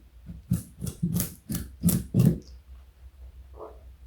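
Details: Carrot crunching by Joey, a 4.6 kg pet bunny more than 60 cm long, indoors: six crisp, evenly spaced bites about a third of a second apart, then a brief soft rustle.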